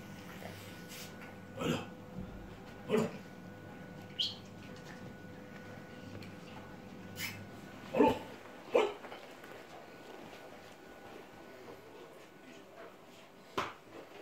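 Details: A red Staffordshire Bull Terrier puppy gives short, sharp yips and small barks at irregular intervals.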